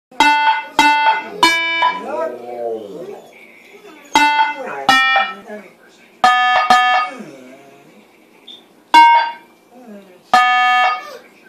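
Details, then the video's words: Several dogs howl indoors in response to a sound maker playing an ice-cream-truck tune, the tune they always howl at. Wavering, bending howls rise and fall between bursts of loud, bright electronic tones, with some voices in the background. "Making the dogs howl"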